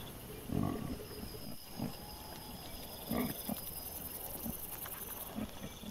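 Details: Trail-camera recording of wild boar piglets, September 2024: a few short, low, rough grunts spaced about a second or more apart, two clearly louder than the rest, with a faint hiss underneath.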